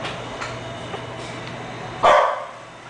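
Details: French Bulldog called Julie letting out a single sharp, loud bark after two quiet seconds of faint background noise, trailing off quickly, with a low steady hum throughout.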